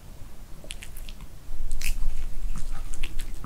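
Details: Dog named Seol chewing dog-safe kimchi with Korean beef during kimchi-making season, in a small room: sharp crisp bites and crunches, quiet for the first second and a half, then a loud burst of rapid chomping.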